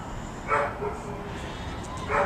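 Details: Prince, a Labrador Retriever up for adoption, gives two short barks about one and a half seconds apart amid low background rumble.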